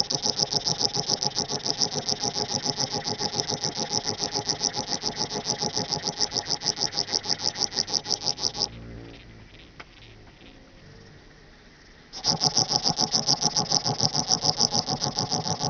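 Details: Small Alpine Bush-cricket stridulating at Boltigen, Switzerland, on 6 September 2023: a long train of rasping, evenly spaced syllables, about three or four per second, breaks off for roughly three seconds, then resumes at the same steady pace.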